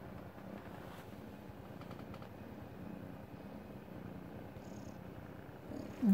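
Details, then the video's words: A pet cat lying in its dog bed purrs with a steady, low, rumbling throb that runs unbroken through the whole stretch; a brief louder knock comes at the very end. "Purr Machine Loves his Dog Bed"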